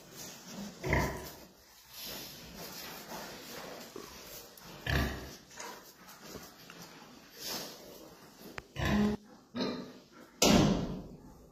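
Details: Pietrain pig giving scattered short grunts and snorts, then two sharper, louder squealing calls near the end, over steady background noise.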